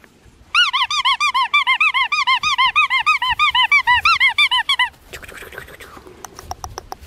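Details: Six-week-old female Black Tri Australian Shepherd puppy weighing six pounds one ounce, bred at Fifteen Acre Farms, Oklahoma, gives a rapid run of high, arched squeaky whimpers, about three each second for four seconds, followed by rustling and soft clicks.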